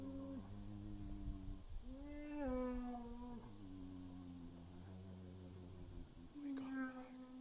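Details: Bears at a hunting bait site in Manitoba in spring 2021 vocalize to each other, trading long, tonal, slightly wavering moaning calls with a rising bawl in between.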